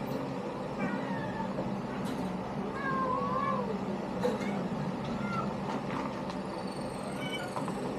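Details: Kittens from a litter giving soft, high, wavering mews, scattered and overlapping at intervals, partly masked by a constant low rumbling background noise.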